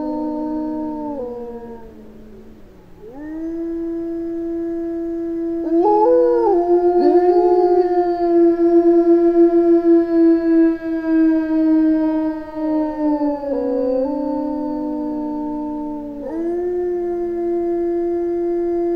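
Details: A small pack of Eurasian wolves howling in the Finnish taiga: long, steady, mournful notes sliding up and down, with voices overlapping.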